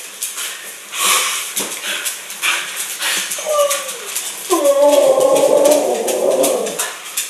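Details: Siberian husky vocalising in conversation with its owner indoors: wavering, howl-like whines and groans sliding up and down, loudest toward the end, with the owner's voice talking over the start.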